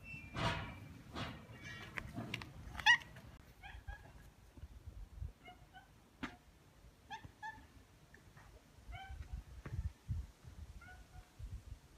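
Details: Two stray tabby cats in a residential neighbourhood in Japan, welcoming a person they have grown attached to; soft harmonic meows repeat through the middle, with footsteps and handling noises at the start.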